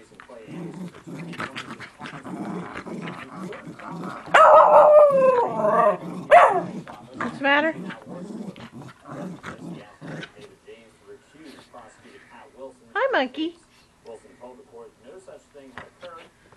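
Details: Miniature Schnauzer growling in play with a person: low rumbling growls, a loud wavering snarl around four to six seconds, then quieter short grumbles and a brief whine near thirteen seconds.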